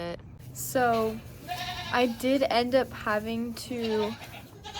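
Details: Nigerian Dwarf dairy goat doe named Maggie, in labour with her first kids (twins), on a farm in Northern California; short steady bleats about half a second each, repeated several times with brief pauses between them.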